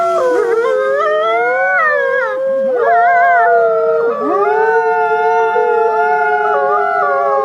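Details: Trail-camera recording of wolves howling: multiple layered howls that rise, waver and dip, with one voice sliding sharply down and back up, others holding long steady tones throughout.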